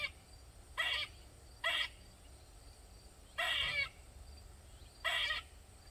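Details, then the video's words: Loud squirrel in a Maryland backyard, calling for over 45 minutes: four harsh, raspy, drawn-out calls, two close together, then a pause, then two more spaced apart. "Squirrel Made Loud Sounds For Over 45 mins"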